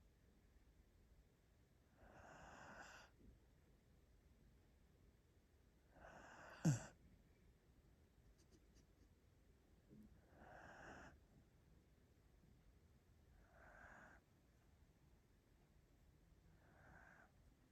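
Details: A six-month-old Border Collie puppy (Canis lupus familiaris) getting sleepy on a sofa snores softly, each breathy rasp returning about every four seconds.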